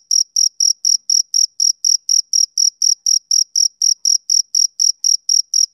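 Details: Male cricket, summer evening: a steady, soothing series of sharp high chirps, around four each second, evenly spaced and equally loud. Clean background.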